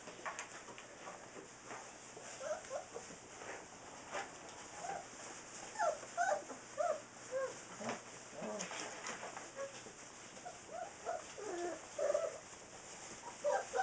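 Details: A litter of six-week-old Saint Bernard puppies keeps up soft, overlapping whimpers and little squeaky whines throughout, growing busier midway, with clicks and a constant low hiss behind.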